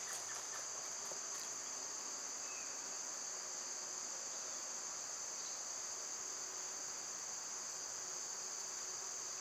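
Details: Summer cicada chorus: an unbroken, shrill two-toned hum runs evenly throughout, with a faint scattering of bird notes near the start.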